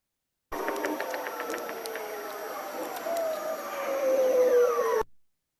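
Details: An underwater ocean recording captures a ribbon seal's long downward tonal sweep, mixed with bearded seals trilling and walrus knocks.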